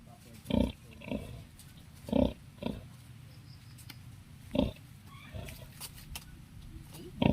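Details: Native sow kept with her eleven piglets on a backyard farm: short, low, rough grunts come in irregular bursts, about seven over several seconds, with brief quiet gaps and faint voices in the background.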